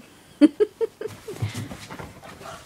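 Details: Two pet dogs, Mocha and eight-month-old Nessie, play-fighting with toys in a small room. Three sharp, high yelps come in quick succession, followed by lower, softer grumbling play noises, with a woman's voice urging them on.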